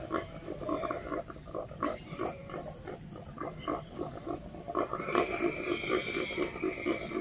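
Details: Wild boar; fighting grunts; rival aggression during fights before mating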